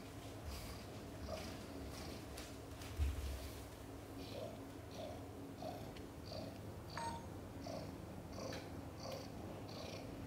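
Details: Mother cat Chan purring during a difficult labor, giving birth to five kittens, some born backwards; a steady low rumbling purr with soft breathy pulses repeating about every half second, and a faint constant electrical hum in a small room.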